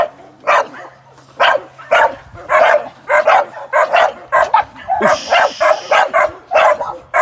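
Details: A young American Staffordshire Terrier sporting dog in training ahead of ADBA shows and sporting events barks in a quick, uneven series of loud, clipped barks. A brief hissing noise sounds midway through.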